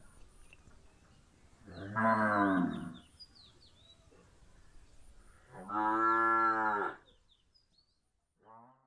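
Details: Punganur cattle while a calf drinks milk: two loud, drawn-out moos with strong rich harmonics, each over a second long and about four seconds apart, then a brief quieter call at the end; quiet room otherwise.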